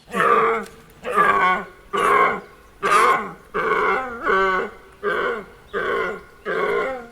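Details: At night, a deer gives nine deep, throaty grunting groans, each about half a second long, repeated slightly faster than once a second with rough harmonic tones.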